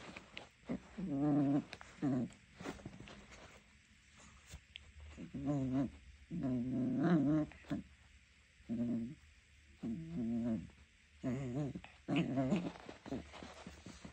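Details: A three-month-old Jack Russell Terrier puppy named Junior, teething, growls while playing tug of war with socks; low rumbling growls come in short bursts of one to two seconds, repeated with brief pauses.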